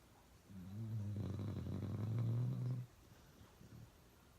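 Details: Uno, a pet dog, snores really loud in a small room, one drawn-out guttural snore of over two seconds, low and rattling, growing stronger before stopping abruptly, followed by soft breathing.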